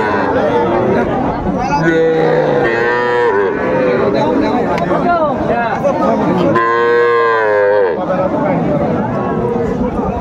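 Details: Cattle at a Manikganj market in Bangladesh, 1 September 2024, where small bulls and heifer calves are sold. Softer moos early on, then a loud, full-throated bellow lasting over a second near the end, amid steady crowd murmur.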